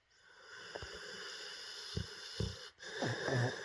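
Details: Sleeping dog snoring and dreaming: low rough snorts and wheezy breaths at irregular intervals, rising into a louder snuffling burst near the end over steady background hiss.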